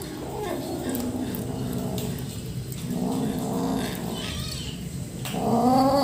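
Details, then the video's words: Rescue baby kitten making annoyed sounds while eating, with a person trying to help: a steady low growling rumble with a layered tone that swells twice, then ends in a louder, rising, wavering wail. "Rescue kitten Making Annoying 😾 Sounds while Eating"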